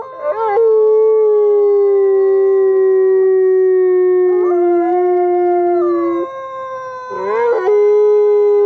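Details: Gray wolves Alawa and Nikai, captive-born at the Wolf Conservation Center in South Salem, New York, sing together to strengthen pack bonds; overlapping sustained howls hold steady pitches, with brief rising yelps breaking in twice.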